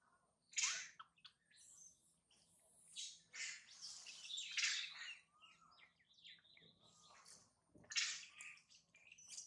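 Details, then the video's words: Infant monkey named Mila, bitten and mistreated by her mother, crying loudly: harsh, high, wavering screams in uneven bursts, with a long trailing cry in the middle and sharp squeals near the start and end. "The crazy mother monkey bite and mistreat poor baby Mila, Mila very crying loudly"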